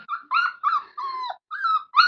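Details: Labrador Retriever puppy whimpering from hunger, six rapid high whines in a row, mostly level in pitch with a slight dip on the fourth, harmonics clearly ringing above.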